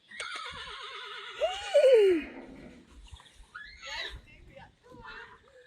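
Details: Friesian horse neighing: a quavering, vibrato whinny with rich overtones that breaks into a steeply falling squeal, then softer snorting sounds and faint background noise.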